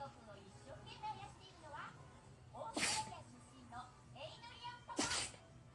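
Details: Toy poodle named Koron sneezing repeatedly after pepper was put on ramen nearby, indoors; two sharp explosive sneezes about two seconds apart, with people talking in the background.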